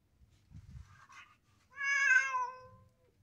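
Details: Domestic cat giving a single drawn-out, clear meow about a second long that rises slightly then falls away, preceded by a softer short murmur and faint rustling indoors.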